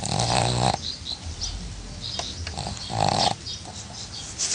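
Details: Pug snoring: a rasping, buzzy snore with a low droning undertone, two bursts about three seconds apart, with faint clicks and shuffling noise between them.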